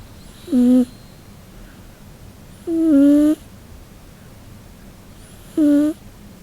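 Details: Three squeaky, whistling snores from Nano-chan, a Scottish Fold cat, asleep in hot weather; the middle snore is longer and louder, and faint room hiss fills the quiet gaps between breaths.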